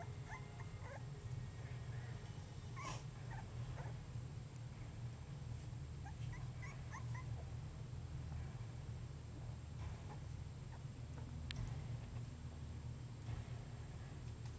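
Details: Basenji puppies 3½ weeks old give faint, thin whimpers and squeaky yips scattered irregularly over a constant low rumble of background noise.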